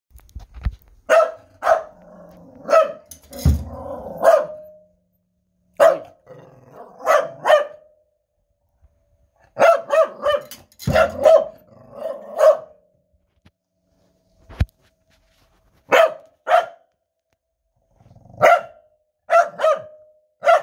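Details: A corgi howls while playing drums: short mid-pitched, harmonic yowling bursts come in clusters, some drawn out and wavering, broken by sharp drum thumps and brief silent pauses.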